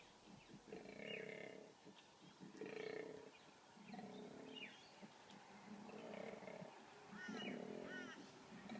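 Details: A male koala, winner of a fight, bellows in deep, rasping, snoring pulses, about six bursts over nine seconds, alternating grunting inhales and throaty roars; faint bird chirps above; filmed by phone in 2014.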